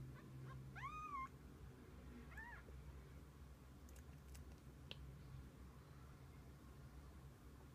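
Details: A cat family of kittens and mother spending the day together; two clear rising-then-falling meows in quick succession at the start, followed by quiet background hum.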